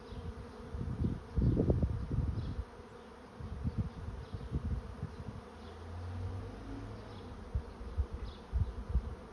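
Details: Honey bees of a swarm entering a trap give a dense, low buzzing drone, broken by loud bursts of close wingbeats early on and softer surges later.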